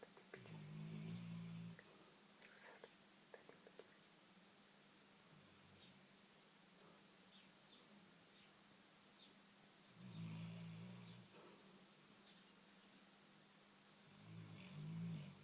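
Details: Big black Labrador Retriever asleep and dreaming, giving three low, droning snores about nine and four seconds apart, each a rough hum lasting roughly a second, with near silence and faint soft ticks between.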